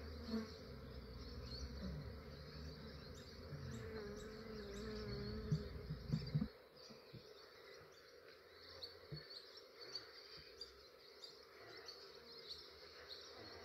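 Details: Massive honey bee swarm captured early morning by an Australian beekeeper; continuous droning buzz for about six seconds, then quieter scattered buzzing with small clicks and handling noises.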